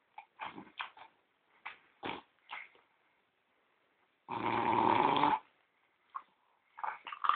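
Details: French Bulldog named Gordon, a pet said to snore like a person and to feign sleep until offered a cookie; short irregular snorting bursts, then one long rasping snore lasting about a second, followed by more brief snorts.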